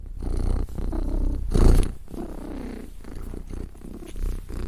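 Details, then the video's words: Loud, close domestic cat purring, a deep rolling rumble in regular breath cycles, with one brief louder thump midway. "Cat Purr Sound"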